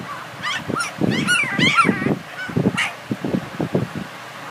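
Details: Several young Border Collie puppies squealing and yipping: high, bending whines that sweep up and down, then a run of quick, low yips, about four per second, with no other sounds.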